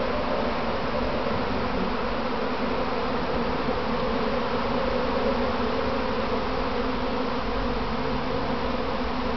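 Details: Honey bee practice swarm gathering on its hive box, recorded standing among the bees: continuous low, rich buzzing hum from a mass of insects, steady in loudness from start to end with no other clear sounds.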